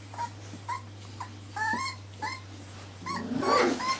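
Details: Four-week-old Irish Terrier pups giving soft, thin whimpers, short rising whines spaced about half a second apart, with a louder rustling burst toward the end over a low hum.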